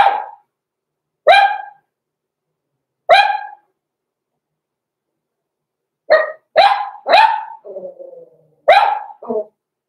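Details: Six-week-old blenheim Cavalier King Charles Spaniel puppies, Roman and Blue, born November 14, 2022, in an indoor puppy pen; sharp high yappy barks, three spaced singles, then a quick cluster broken by a lower drawn-out whine.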